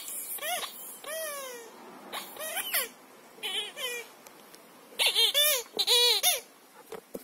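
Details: Shira the Siberian Husky, at play with a ridged squeaker football, utters sliding whines and short yips. Quieter, falling notes come first, then a louder cluster of rapid, rising-falling howl-like calls near the end.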